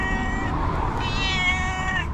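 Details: Calico cat, a female pet, meowing in a high-pitched, soprano-like voice: a drawn-out harmonic meow with a rise in the middle, over steady low background hum.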